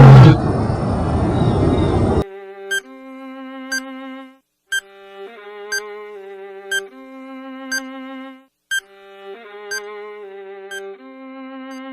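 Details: A brief noisy burst gives way to a looping electronic tune with sustained tones and regular beeps; no animal sound is heard.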